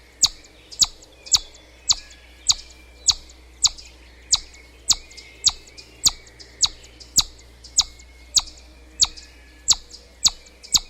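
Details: Chipmunk calling with sharp, high, clicky chips repeated steadily, nearly two per second, each a brief bright note, over faint low background hum.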